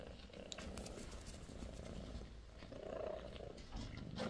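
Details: Low, even rumbling purr from British Shorthair kittens at sixteen days of age, from a litter of four, with a faint squeak near the close of the short stretch.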